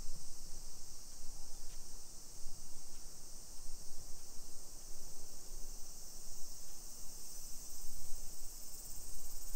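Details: Cicadas sing on a July 2021 summer afternoon in modern suburban Nisshin near Nagoya, Japan. An unbroken shrill buzz hangs high above a low rumble of footsteps and outdoor noise, with faint brief ticks now and then.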